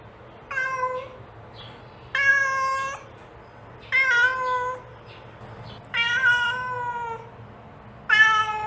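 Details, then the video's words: Mother cat calling kittens: five long, clear harmonic meows at roughly two-second intervals, flat or gently falling in pitch, with a soft hum in the background. "The Sound of a Mother Cat Calling Her Kittens"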